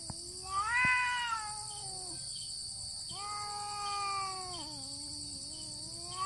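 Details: Two cats in a standoff fight, only meowing: two drawn-out, moaning yowls, each bending slowly downward, with a single sharp click near the start. A continuous high hiss is audible.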